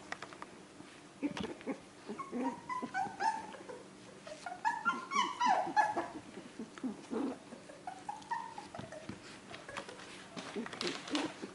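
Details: Australian Terrier puppies, four weeks old, being socialized indoors; soft whiny whimpers and short squeals come repeatedly throughout, some rising and falling in pitch, with a low steady hum and scattered bumps in the background.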